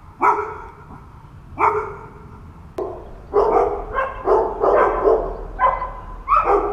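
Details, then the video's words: Seven dogs abandoned for months on a house roof in H'Attard, Malta, barking. Two single sharp barks spaced about a second and a half apart, then a denser burst of overlapping barks from several dogs. "Lonely dogs barking in Malta"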